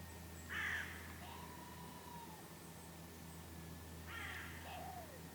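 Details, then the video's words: Red squirrel near Lake Kallavesi in Kuopio, Finland, on 23 August 2015, calling just after a goshawk attack: two short, rough chattering bursts about three and a half seconds apart, with a thin falling whistle and a constant low hum. "Squirrel makes noises after goshawk attack"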